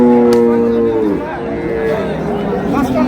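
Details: Cow with calf at the Ambari haat livestock market in Dinajpur, 20 February 2026, giving a loud level moo for about a second that bends downward at the end, with a second lowing starting near the close amid market voices.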